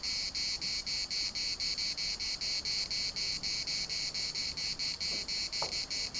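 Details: Cicadas singing in the municipal park at Larnaca: a loud, harsh, high buzzing chorus pulsing steadily about three to four times per second, with a faint brief lower sound near the end.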